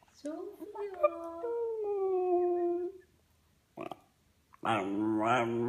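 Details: A five-year-old West Highland White Terrier warming up to howl for his best friends: a steady, slightly falling tonal howl, a brief pause, then a louder wavering howl.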